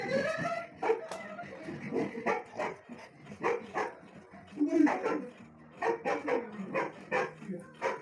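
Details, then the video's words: Dog giving a run of short, sharp barks about every half second, some with a tonal, yelping edge, mixed with a person talking nearby. "barking video"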